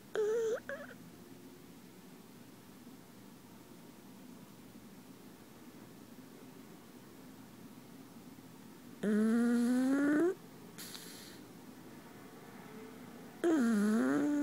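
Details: Pug sleeping in his owner's arms, snoring in three separate whiny, tonal bursts about four seconds apart. Each breath rises slightly in pitch, with quiet room noise in between.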